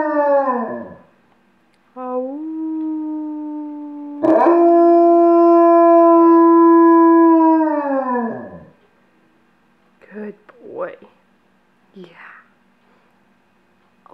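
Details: On command, the pet dog Yarrow howls from a couch. A falling howl is followed by a long, level, tonal howl that droops in pitch at its end. Several short, soft, whimpering yips come after it.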